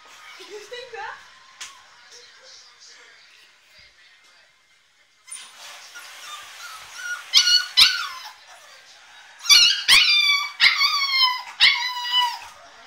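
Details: Staffordshire Bull Terrier puppy Diablo, wanting out of his crate, starts with faint low whimpers and some background noise, then breaks into a burst of shrill, falling screams and yelps in the final seconds.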